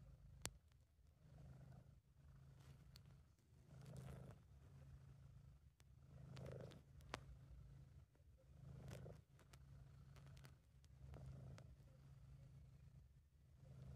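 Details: British Shorthair cat named Sabu purring while relaxed and content, amateur recording: a steady low rumbling purr swelling with each breath about every two and a half seconds, with a few sharp clicks and ticks.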